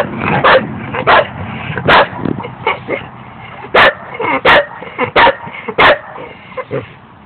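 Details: Scooby, a dog, lets out loud, clipped barks at uneven intervals, mixed with quieter yips and grumbling sounds in the gaps.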